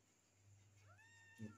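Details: Stray kitten, one of three found on the street, gives a single high meow that sweeps sharply upward and then holds steady, over a low steady hum, ending with a short soft knock.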